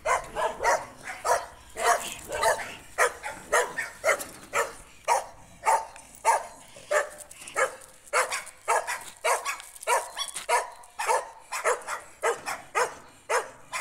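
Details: Jack Russell Terrier barking on a street during an encounter with a stray dog: sharp, loud barks in a fast, fairly steady run, roughly two per second, with no pause.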